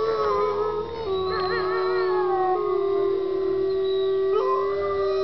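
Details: Wolves howling at Bays Mountain Park in Kingsport, Tennessee: long sustained tones overlapping in chorus, one steady low howl held while higher voices slide and waver above it, with a brief pitch jump near the end.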